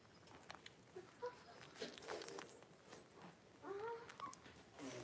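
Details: Blenheim Cavalier King Charles Spaniel puppies, a litter of five born at New Year's, with their mother Paris in an indoor home puppy pen, January 26, 2023. A brief rising, whistle-like whimper near the end, with soft rustling and scattered clicks.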